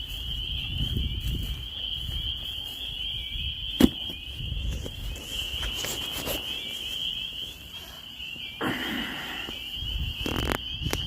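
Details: A spring chorus of peepers in the Maine countryside: a continuous high, shrill ringing from many frogs, broken by sharp clicks, knocks and brief bursts of rustling noise close by.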